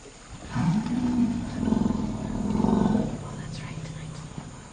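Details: African elephant, an 8-year-old daughter, screaming in protest at having to stop sharing minerals with her 48-year-old mother while they extract minerals from the ground, a third elephant nearby; a low, harsh, rumbling roar sustained about two and a half seconds, wavering in strength.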